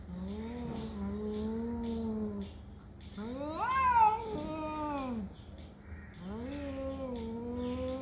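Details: Cats fighting over territory trade long, low, moaning yowls, each lasting a second or two, with one rising and falling wail in the middle and quiet pauses between calls.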